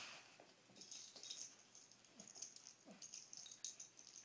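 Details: Two dogs, Poppie and Nellie, having fun at play; soft breathy huffs and snuffles run throughout, broken by a few faint, short falling whimpers, all quiet and close.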